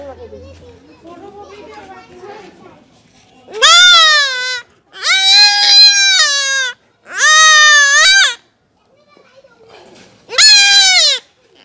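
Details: Goat kid during castration gives four loud, drawn-out, high bleats with gaps between them, after a stretch of quiet murmuring voices.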